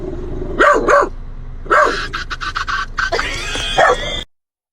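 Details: Dog behaving oddly barks in quick pairs, sharp and arched, then lets out a longer strained, whining vocalization before the sound cuts off abruptly.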